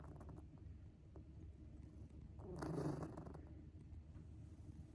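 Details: Shion, a pet cat with an unusually distinctive snore likened to a human child's, breathing in a low, steady rumble that swells into a louder, rougher snort around the middle before settling back down.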